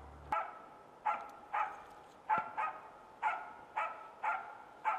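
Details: Norrbottenspets (Pohjanpystykorva) hunting dog barking on a hunt in Finland: sharp, ringing single barks repeated about every half second to second, nine in all, over quiet background hiss.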